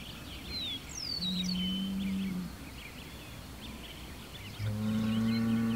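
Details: Hereford bull facing a rival Hereford bull across the road, with an Angus bull also within 100 yards, giving long, low, steady moans that swell at the start and end; birds chirp and whistle in the background.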